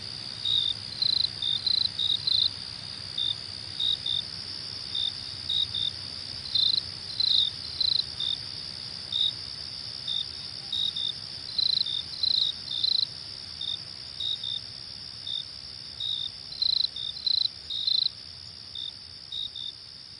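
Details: Continuous shrill cricket trill with brief louder chirps scattered unevenly, about one to two per second, occasionally bunched into quick doublets; faint low-frequency noise beneath.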